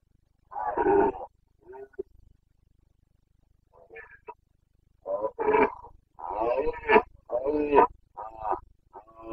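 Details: Carpathian red deer stag in the Bucovina mountains during the breeding-season rut (boncănit), 29 September 2022: a loud harsh roar, then a run of rough, hoarse grunting bellows in quick bursts; no other sounds.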